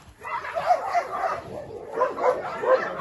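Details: Shelter dogs barking because stray cats are moving up and down outside; several harsh, tonal barks in bursts, some overlapping, with a quieter pause midway.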